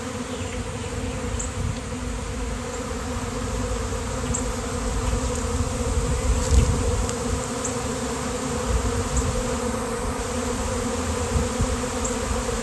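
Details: Thousands of honeybees swarm on a sunny day and cluster on a downed basketball hoop before a beekeeper arrives. A dense, unbroken buzzing with layered low hum bands and faint high ticks throughout.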